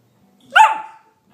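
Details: A puppy gives a single short, sharp bark, rising then falling, amid playful home scenes; a person's voice coaxing it to roll over is heard nearby.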